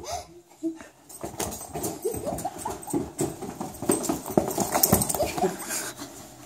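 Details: A Vizsla upset about wearing snow boots gives high, wavering whines and yelps in quick irregular bursts, with some human voices.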